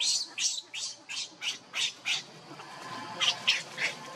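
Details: Baby monkey begging its mother for milk while hungry, giving high, piercing squeals in an uneven series, several strong cries followed by a short pause and a few more.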